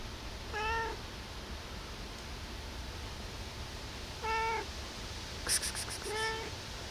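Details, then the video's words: Cat meowing for food in the early morning, about 5 a.m.: three evenly shaped, slightly falling meows, with a quick metallic rattle between the last two. "Cute cat meowing"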